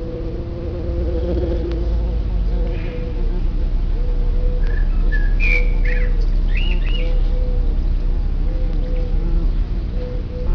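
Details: Deep, continuous humming of bumblebees around an underground nest that houses up to 200 bees, growing slightly louder midway, with a few brief bird whistles and chirps in the distance.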